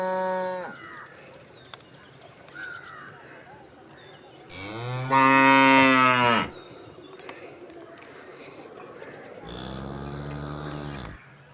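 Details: Cows lowing: a brief moo at the start, a loud strained bellow of about two seconds in the middle, and a deep moo near the end, with bird chirps and a steady insect hum behind.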